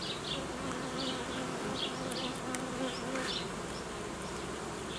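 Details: Apiary honey bees during colony uniting and requeening with young queens: a continuous dense buzzing drone, slightly pulsing, overlaid by brief high-pitched chirps recurring several times a second.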